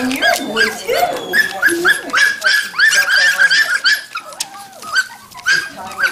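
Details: Young Standard Poodle puppies at Red Royal Standards, Columbia Falls, Montana, on November 22, 2013: a string of short, thin, high yips and squeals, several per second, fading toward the end, with a person's gentle voice mixed in.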